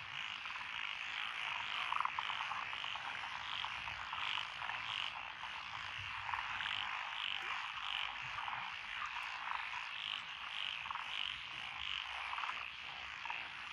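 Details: Frogs call from lotus paddy fields in Echizen, Fukui, Japan, on 12 June 2021, including Japanese tree, Schlegel's green and forest green tree frogs; a dense buzzing chorus is topped by short, bright repeated croaks in quick runs.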